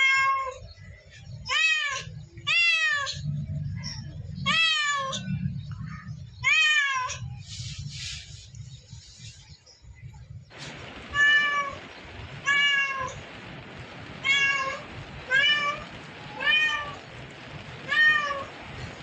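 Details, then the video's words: Repeated cat meows, curved and wailing, in an uneven series. Partway through, a hiss-like background noise rises and stays, while the meows continue at about one per second over low rumbling. "Cat sounds"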